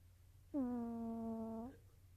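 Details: A single snore from Nova the sleeping cat: one even, reedy hum lasting just over a second, starting abruptly and tailing off slightly upward, over quiet low room hum.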